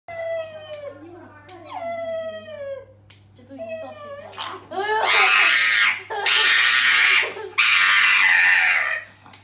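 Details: Pug at the vet in Suzhou City, Jiangsu Province, on October 16, held by a male vet while a female vet trims its nails. It gives high whining cries with falling pitch, then three loud, harsh, almost human screams lasting over a second each.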